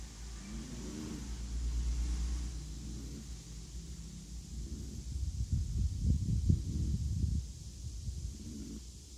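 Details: Appleboo, a Chihuahua, snoring: low, rumbling breaths with a rough rattling burst of snorts in the middle, rising and fading over several seconds.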